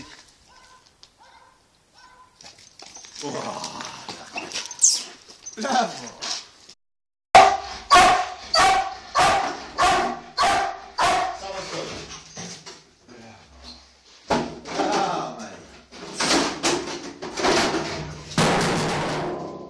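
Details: Black German Shepherd named Tayson during protection training, first quiet with people talking, then a burst of loud, sharp barks repeated about every half second for several seconds, followed by rougher, irregular barking mixed with voices.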